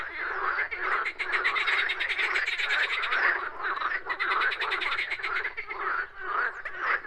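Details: Frogs croaking in nature, a thick overlapping chorus of rapid clicking pulses, some rattles standing out about twice a second.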